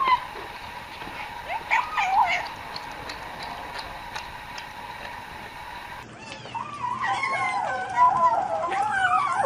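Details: Cat eating and vocalizing, first with faint chewing clicks, then after a cut a run of wavering, mewing hums that rise and fall continuously, the murmured 'nom nom' sounds of a cat at its food.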